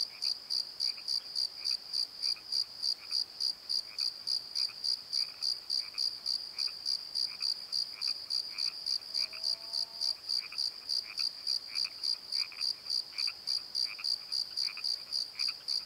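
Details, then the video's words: Night chorus of crickets in a valley bottom, even high-pitched chirps pulsing roughly three times a second throughout, softer lower croaking notes scattered behind and a brief faint lower tone midway. "Crickets and Croaks! Pozo Night Tree"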